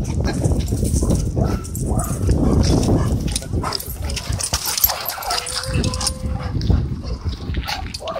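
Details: Playful dogs wrestle at a dog park: low rumbling growls and huffs dominate, broken by a brief steady high whine midway, with faint human voices in the background.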